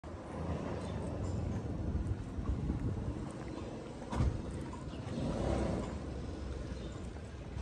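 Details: Outdoor rumble of passing vehicles and wind across the microphone, with a short thump near four seconds and no animal voice.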